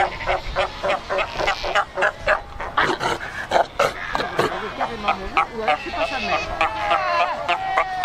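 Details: Cape fur seals massed at Cape Cross on the Skeleton Coast; a busy din of short yapping barks in quick succession mixed with longer wavering bleats from many animals.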